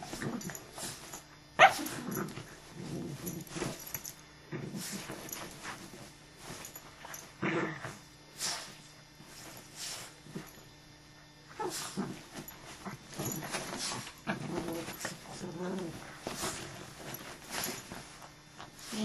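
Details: Dog in a fight: rough growls and short snarling bursts come in irregular clusters over about nineteen seconds, with one sharp loud snap early on and a steady faint low hum beneath.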